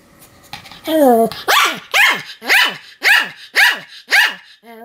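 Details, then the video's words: Pomeranian Sam, recorded 7 October 2015, barking nonstop: a brief whine, then seven sharp, evenly spaced barks about twice a second, each dropping in pitch, ending on a short whimper. "犬の鳴き声 ポメラニアン サムの連続吠え"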